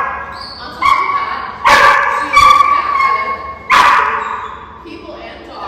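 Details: German Shepherd and Belgian Malinois mix, an 8-month-old high-drive female puppy in board-and-train training, giving loud sharp barks and yips, about four separate strong bursts with tonal ringing tails, a person's voice also heard.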